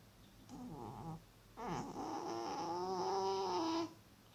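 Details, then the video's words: Snoring, sleeping male cat in an Elizabethan collar after healed back dermatitis: a short rough snore, a brief gap, then a longer resonant, rasping snore of about two seconds with a steady, slightly wavering tone, indoors and quiet. "Cute cat snoring really loud!"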